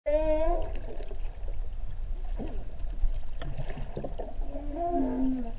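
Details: Humpback whales recorded underwater while swimming at Ha'apai, Tonga. A short, wavering tonal whine opens the recording, and a lower, falling moan comes near the end. Constant low rumbling water noise and scattered clicks run throughout.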